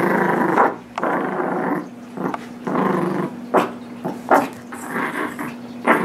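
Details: Indoor tug of war between Nibbler, a nine-month-old blue Doberman Pinscher, and Biscuit, a 6 lb Shih Tzu–Yorkie Shorkie; sustained harsh rumbling growls, broken by short gaps and sharp snorts, with a steady low hum in the room.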